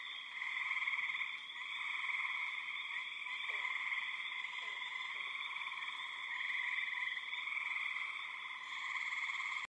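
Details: Deafening chorus of many frogs, described as frogs or spring peepers, mixed with birds and insects: a dense, unbroken wall of high peeping and trilling that swells and dips slightly, with a few faint lower notes beneath.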